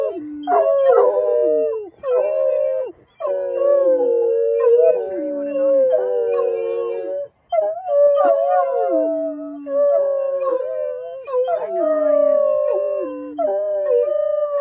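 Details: Pet Otterhounds, several together, howl excitedly before their evening walk at a local park: repeated bursts of mournful howls that swoop down at the ends, separated by brief pauses, a few yips mixed in.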